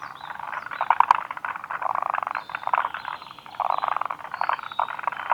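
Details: Forest green tree frogs calling at Kawaguchiko Field Center, Japan, on 2 June 2019; dense chorus of rapid chattering, clicking notes in overlapping bursts, several frogs together.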